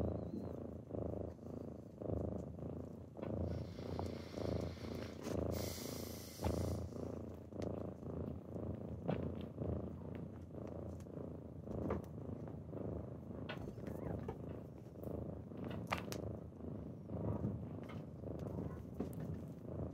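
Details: Kittens waking their owner on a typical morning, purring steadily in low rumbling pulses that swell and fade with each breath, with a brief rustling burst near the start.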